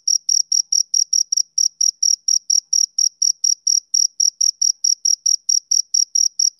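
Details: Male cricket chirping on a summer evening: a steady run of short, high-pitched pulses, roughly four each second, with a few brief gaps in the rhythm, over a silent background.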